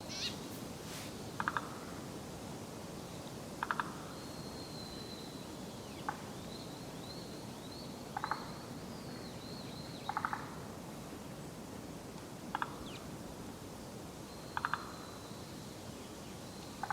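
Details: Forest green tree frog, unseen but recognised by ear, at dawn on 23 May 2015 in the inner moat of Senshu Park, Akita City, Japan; short rattling bursts repeat about every two seconds over steady background hiss, with faint high whistles between.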